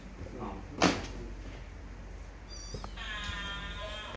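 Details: Kittens: a sharp knock, then a drawn-out, steady, high meowing cry rich in overtones that holds for over a second at the end, over faint background room noise.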